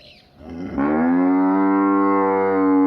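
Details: Village buffalo lowing: after a soft, noisy lead-in, a deep sustained moo begins and holds evenly, full and harmonic, until the recording cuts off.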